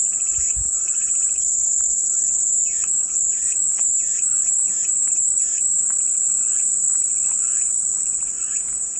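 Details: Cicada chorus forms a steady, high, hissing drone without pause, while softer chirping notes from another caller repeat in short bursts beneath it through the middle of the recording.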